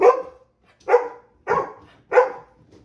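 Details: Baymax, a pet Golden Retriever, excited by a new squeaky toy bought on the weekly Friday grocery trip, barks four times indoors, sharp loud barks spaced just under a second apart with brief trailing whimpers.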